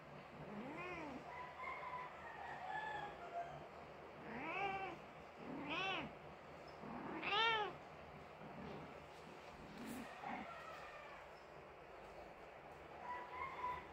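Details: Grieving Persian mother cat whose kitten died, crying in a series of wavering, bent meows, several in quick succession mid-clip, some short and others stretched, over a quiet indoor background.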